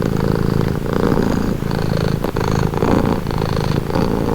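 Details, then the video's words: Cat purring up close, a dense low vibrating rumble rising and easing with each breath about once a second, with a brief soft click near the middle. "Purring cat"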